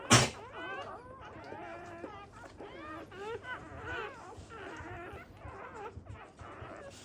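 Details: Black Labrador Retriever puppies born in a first litter and needing revival: a rapid series of short, sharp, bent squeaks and yelps, repeated several times a second, after an opening bump.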